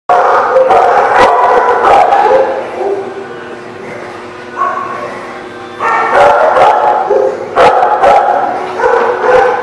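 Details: Several dogs recorded 5/4/18 bark and yelp over one another in a dense, continuous chorus, with drawn-out howl-like tones; a quieter lull near the middle before loud barking resumes.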